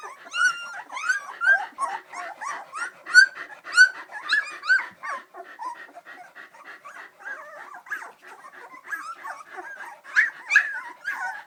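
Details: Three-week-old AKC Samoyed puppies walking around, bred by hobby breeders just outside St Louis, Missouri; high thin whimpers and yips come in quick overlapping bursts, loudest early and near the end, with softer squeaky chatter between.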